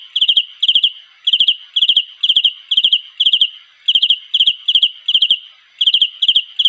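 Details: Mate-calling cricket repeating short, shrill, pulsed chirps, roughly two per second, each chirp a tight burst of three or four ringing notes, with a short pause now and then; nothing else audible.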